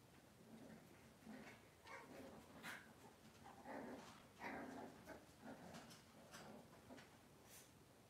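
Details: Cavalier King Charles Spaniel indoors in a kitchen on a cloudy Monday morning, giving soft, repeated whimpering whines, short nasal squeaks rising and falling about once or twice a second over quiet room background.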